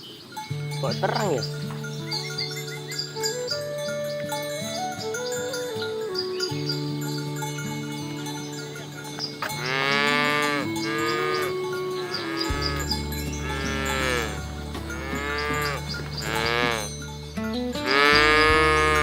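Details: Village cattle, a herd being driven along a rice field ditch toward the livestock pen, low at first, then a run of several drawn-out, arching moos one after another in the second half, all over steady background music.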